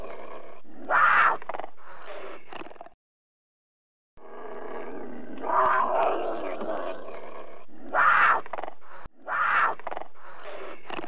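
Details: Rough, raspy puma vocalizations coming in bursts, with a short silent gap early on and several louder, harsher peaks in the later half.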